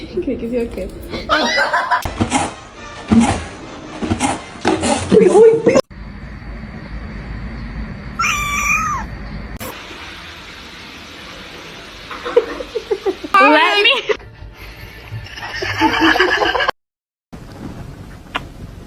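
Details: Domestic cat from a funny cat compilation giving a couple of short, arching, whiny meows midway, with voices talking loudly at the start and clatter between calls.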